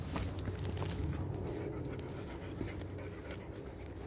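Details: A 13-year-old yellow Labrador Retriever exploring deep forest: rapid, fairly steady panting breaths, several per second, over a low hum and faint clicks.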